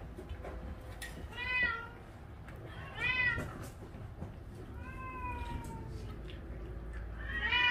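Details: Shelter cats at Ulsan Naraeul Center during weekend volunteering, eating fish after being housed together: four clear harmonic meows, rising then falling, spaced about a second and a half apart over low indoor rumble.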